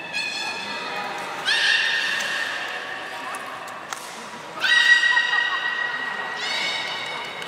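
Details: Beluga in the 16:00 public training at Port of Nagoya Public Aquarium, Japan, on 4 November 2018: three separate bursts of buzzy, harmonic-laden whinnying, a couple of seconds apart, with a faint thump between them against quiet room tone.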